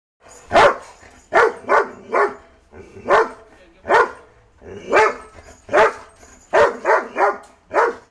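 A Doberman barks in deep, forceful bursts, sometimes singly and sometimes in quick doubles or triples.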